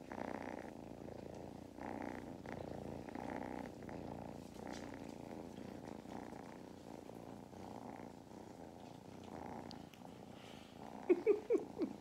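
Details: Lap-time purr from kittens Mustard and Thyme on an Irish farm in County Kilkenny, a low vibrating drone pulsing with each breath, followed near the end by a few brief sharp clicks or taps.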